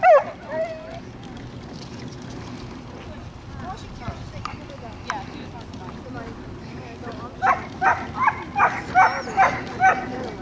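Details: John, a Welsh Corgi, gives a single loud bark, then after a stretch of background voices breaks into a rapid run of about seven sharp barks near the end.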